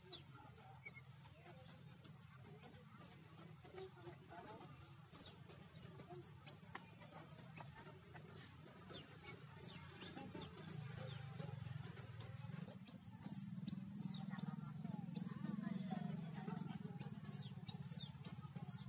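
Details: Scared infant monkey seeking its mother, wild in Siem Reap Province, Cambodia: rapid streams of shrill, arched squeaks repeating several times a second, growing louder in the second half over a low rumbling background.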